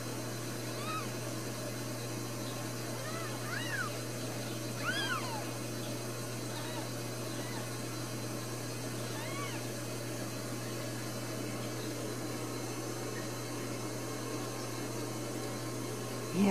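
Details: Four newborn Ragdoll kittens at a home cattery in central Kansas, with another possibly on the way, give thin, high, arching mews in scattered bursts over a steady low electrical hum.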